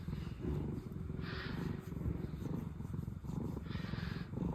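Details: Two former rescue cat sisters, Pina and Piko, purring contentedly: a steady low rumbling purr throughout, with soft periodic breathy swells at higher pitch on each breath cycle.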